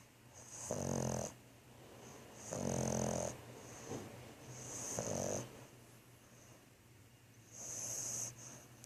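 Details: Asleep, the French Bulldog Thor snores in four rhythmic, raspy bursts roughly two seconds apart, each a gritty inhale over a constant low background hum.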